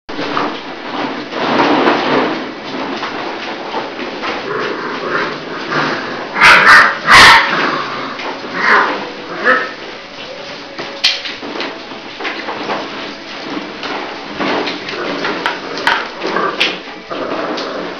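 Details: A litter of eleven chocolate-brown Labrador Retriever puppies, six weeks old, from a breeder. Overlapping short yips, whimpers and squeaky barks come in dense, irregular bursts, with a sharper cluster near the middle and a human voice at times.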